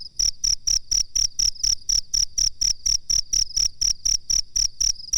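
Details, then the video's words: A cricket's shrill, tinny chirps, made as training material for cage birds, tick along at about four pulses each second, some twenty in a row, evenly spaced and loud, nothing else audible. "suara jangkrik masteran"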